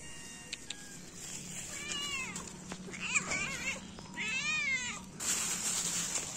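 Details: Feral cats, three adults and a kitten, being fed in the morning; several harmonic meows rise then fall, one long wavering cry, over a steady hiss and low hum.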